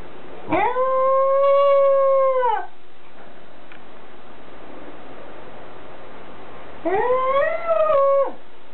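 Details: Goro, a male Pembroke Welsh Corgi, howls like the MGM logo lion on 3 September 2014: two drawn-out, wavering howls separated by a few seconds of quiet.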